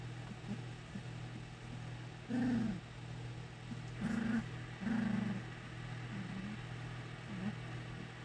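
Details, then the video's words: English Springer Spaniel puppies from a first litter at a kennel, giving a few short low whimpering squeals around the middle of the recording over a steady low mains hum. "English Springer Spaniel Puppies"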